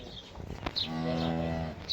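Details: Friesian-Sahiwal cross cow on a farm in Pakistan, offered for sale, 23 April 2025; a single steady, low, harmonically rich moo lasting about a second, with faint background noise and brief high squeaks.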